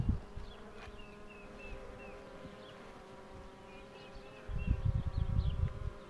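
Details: Steady droning of honey bees while a queen box is pulled, with a bird's short chirps repeating above the hum and a burst of handling thumps and rumble in the last second and a half.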